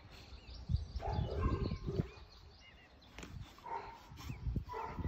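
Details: Presa Canario dog, recorded April 2020: short, deep barks in irregular bursts, several close together in the first two seconds and more near the end, with tonal upper harmonics over a background of outdoor noise.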